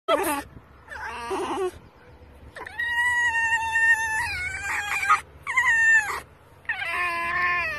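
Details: Rescued red fox squealing with excitement while being petted: loud, high, drawn-out harmonic squeals and whines in separate bursts, some wavering and sliding downward, with short quiet gaps and a low hum behind.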